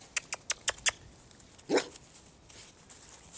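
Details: Puppy from the litter of a dog named Asya gives one short, tonal yelp that rises and falls. Before it comes a quick run of five sharp clicking taps, and soft rustling follows.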